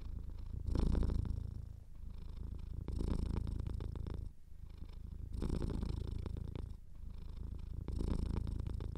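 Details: Purring domestic cat, nose slightly clogged, recorded indoors; a steady low rumble swells and fades in breath-length waves roughly every two seconds, with a soft snuffly edge.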